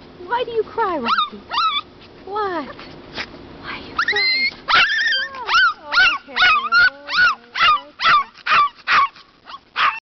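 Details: Pet dog crying in a stroller during a park outing; bending, squealing whines at first, then rapid sharp yips and whimpers about twice a second, with a woman's voice talking.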